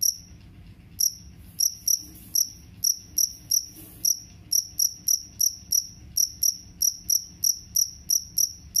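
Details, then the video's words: Jangkrik kalung cricket, whose call is offered as a rat repellent, chirping in bright, high pulses: hesitant and uneven at first, then settling into a regular beat of roughly two chirps per second over a quiet low rumble. "SUARA JANGKRIK KALUNG PENGUSIR TIKUS"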